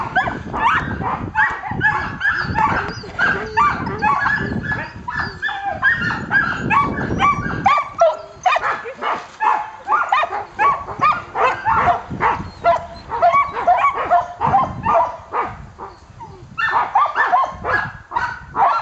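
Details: Samoyed sled team barking and yelping excitedly at the start of a dryland carting run in January, about 10 degrees F with wind; rapid overlapping barks and yips from several dogs, with wind noise and a person speaking.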